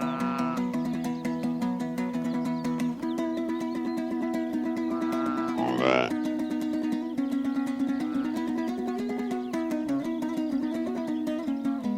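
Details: Plucked guitar-like music plays throughout with sustained tones, a brief sweeping flourish near the middle, and no animal sound.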